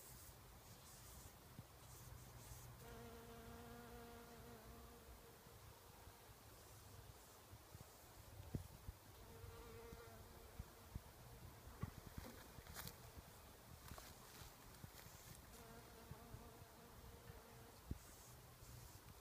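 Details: Bombus ignitus bumblebee sipping nectar among wild rose blossoms, giving several short bursts of humming, buzzy wingbeats a few seconds apart, with soft clicks and rustles between them over a constant low drone.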